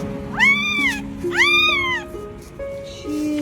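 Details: Abandoned newborn puppy trapped among trash in a garbage bin, crying desperately for help; two drawn-out, high whining cries that rise then fall, each about half a second, over soft sustained background music.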